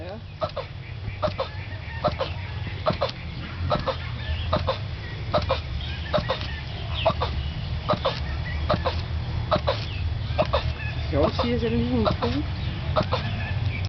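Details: A male turtle mating at a zoo in Mauritius, calling loudly for over twenty minutes: regular, short, rasping grunts about once a second over low rumble, with Danish-speaking people talking and brief music.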